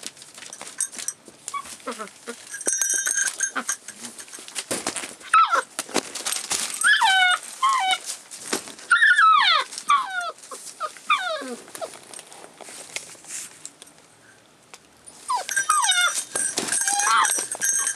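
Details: Rough collie puppy, 48 days old, filmed 29 February 2012: a series of short, high, sharply falling whimpers and yips, some in quick clusters, over constant background hiss and rustling.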